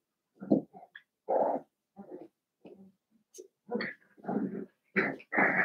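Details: Seven-week-old blenheim Cavalier King Charles Spaniel puppies from a litter of five, playing in a home puppy pen; a run of short grunting growls and stubby barks in uneven bursts, growing louder and brighter toward the close.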